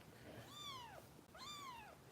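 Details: Foster kitten Harper, a female just over 400 g, cared for by kitten rescue volunteers in Los Angeles during bottle feeding indoors; two clear harmonic meows, each arching up then sliding down, about a second apart, over faint room hiss.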